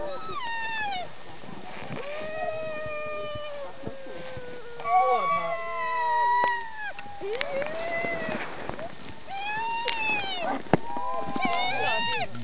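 Several sled dogs howl together in long, wavering, overlapping notes that slide up and down.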